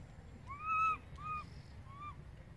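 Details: Baby monkey crying for its mother after she moved far away: three faint, drawn-out tonal wails, each rising then falling in an arch, the first longest and loudest, over a low steady background hum.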